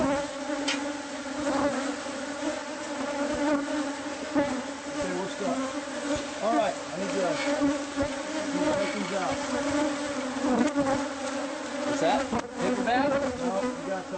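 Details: Bees from a hive hidden inside a house's walls, heard as the nest is removed by pest control: a dense, steady droning hum with layered tones, and individual bees whining past in rising and falling swoops.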